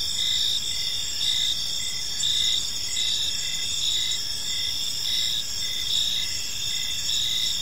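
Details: Crickets chirping in a peaceful park as evening unfolds: dense high steady trilling with pulsed chirps repeating roughly every half second, a continuous layered insect chorus over faint low background noise.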